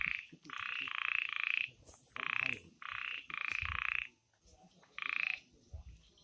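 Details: Night chorus of frogs in the forest of the Amboli hills, Sindhudurg, with loud buzzy croaks in short bursts, sometimes two or three close together and then a pause, over a faint background hiss.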